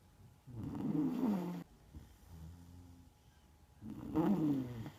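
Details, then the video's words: Neapolitan Mastiff named Margo snoring while asleep: two long rasping, throaty snores with a quieter low rumble between them, indoors. "Неаполитанский мастиф . Марго спит . Храпит ."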